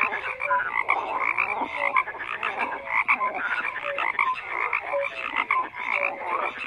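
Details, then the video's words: A thick chorus of frogs croaking at once, with harsh buzzy croaks layered over each other and brief tonal peeps scattered through. The mass of voices rises and falls steadily with no pause. "FROGS CROAKING"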